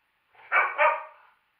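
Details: Pet dog in a nightly tantrum as its owner steps outside to smoke, giving one short two-part bark, a sharp yelp followed at once by a second lower-pitched burst that fades out, with silence around it.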